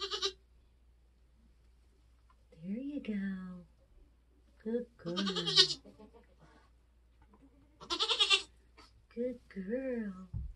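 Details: Homestead Nigerian Dwarf goat giving birth in kidding season. Short, bright, strained bleats arrive at the start, around five seconds and around eight seconds, while people talk softly in the pauses between them.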